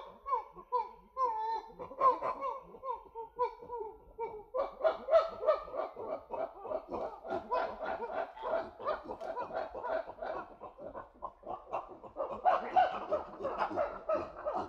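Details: A group of chimpanzees hooting quietly: overlapping soft, breathy hoot series from several voices, building into faster, denser panting hoots with rising pitched calls near the end.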